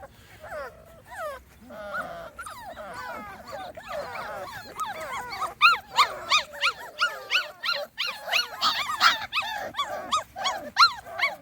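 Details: Small Munsterlander puppies aged 2.5 weeks, on their first time outside with a visiting older litter, squeal in a quickening series of high arched yelps, about three a second, louder in the second half.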